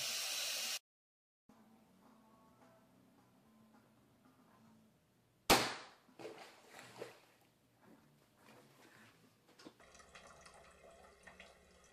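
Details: A burst of hiss and a sharp crash give way to soft clatter, then music with a steady low tone.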